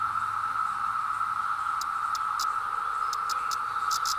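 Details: Emerging 17-year periodical cicadas in the woods, recorded on a hill with a Zoom H2: a constant droning whine, overlaid after the first two seconds by sharp, high clicking bursts in quick irregular clusters.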